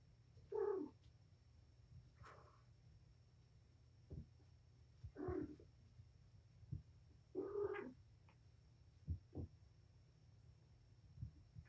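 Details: Domestic cat Patience, a mother of five kittens, indoors in a room during playtime with her litter; short harmonic meows of about half a second, repeated every two to three seconds, with soft thumps and steady low hum.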